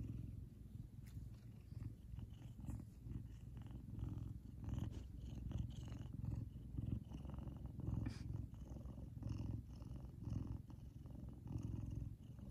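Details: Big male Savannah cat Kumba expresses happiness with a sustained, loud, low purr, a continuous throbbing rumble that rises and falls gently with each breath, with scattered soft clicks.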